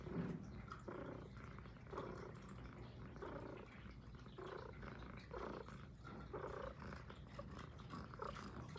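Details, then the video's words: Soft, fairly muffled purring from Puff, a female Highland Lynx cat, in an ASMR close-up; gentle rumbling pulses recur about once a second beneath a heavier low-frequency background. "Who’s the Cutest l ASMR l Highland Lynx Cat"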